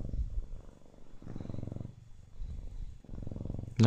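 A Siamese cat gives a deep, pulsing purr that swells and fades with each breath. A person speaks softly in the background, and a brief sharper sound cuts in at the very end.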